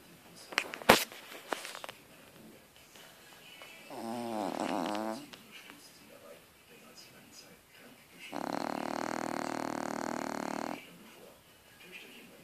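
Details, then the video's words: A sleeping French Bulldog snoring indoors: a sharp click early on, then two rasping, buzzy snores, one about a second long and one longer drawn-out snore of over two seconds, with quiet breathing between them. "Schnarchende Französische Bulldogge"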